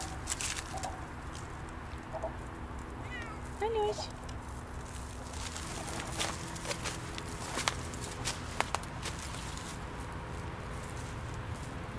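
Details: Siamese cats Otani and Yozora on a cold off-leash winter forest walk at sunset near a frozen puddle; one short, mid-pitched, bending meow cuts through steady outdoor hiss and a person talking.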